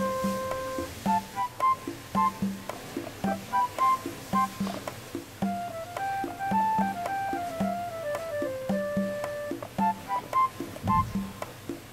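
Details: Gentle instrumental music of plucked guitar and piano notes plays steadily in a small room, with no animal voice audible.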